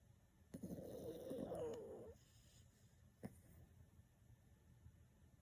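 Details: Deeply sleeping senior black toy poodle Mu-chan, 6.5 kg and chubby, gives a single rattling snore of about one and a half seconds, followed by a soft snort and quiet breathing.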